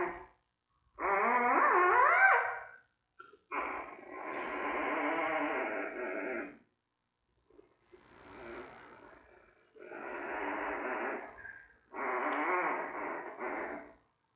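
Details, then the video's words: Newborn giant panda cub in a zoo den on day 22 or 23, loud squawking squeals with rising and falling tones in four long bursts separated by short silences. "Baby Making Sounds"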